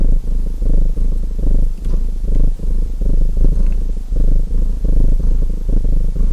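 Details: Domestic cat purring beside a crackling chimney fire, a deep, low rumbling purr in pulsing phrases rising and falling about once a second, with faint sharp crackles of burning wood scattered over it.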